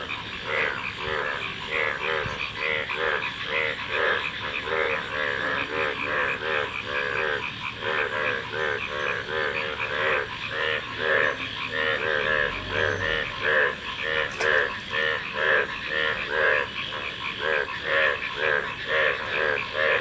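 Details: A busy chorus of frogs giving rapid, nasal, harmonic croaks in irregular overlapping bursts, continuing steadily throughout, with a brief low thump midway.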